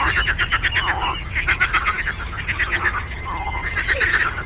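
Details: Many frogs croaking on a lake, crisp rapid pulse trains repeating in clusters with a few lower grating notes between, loud and close, over low rumbling noise.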